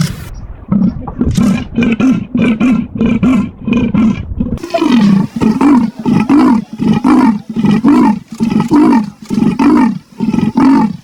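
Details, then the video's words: Two stretches of leopard rasping: first a quick run of short, dry grunts, then a louder sequence of deep, coarse sawing strokes, evenly spaced and repeated about a dozen times. "the sound of leopards"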